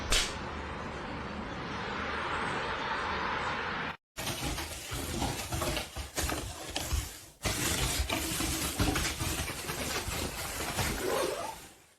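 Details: Broad indoor rumble and rustling noise, broken by a brief drop to silence, with faint passing vehicle sound and no clear animal voice.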